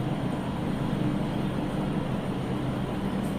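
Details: Steady loud engine or vehicle rumble with a constant hum and broad hiss throughout, and no animal voice audible.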